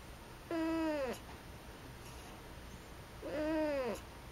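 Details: Domestic cat, female, perched in a storage closet after the light is turned on to bother her, answering her owner: two drawn-out meows about three seconds apart, each arching up then falling, with quiet room between.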